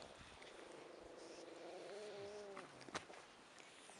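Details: Shih Tzu puppy of American line, a faint, thin whine with a steady tone that wavers slightly for about a second, then fades; soft rustles and a brief click follow in a quiet room.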